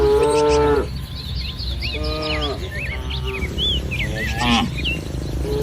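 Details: Dozens of tame village cattle in a green rice field under soft morning sun: a drawn-out, tonal moo opens, then a shorter moo around two seconds and a brief one near the end, with small birds chirping and twittering throughout.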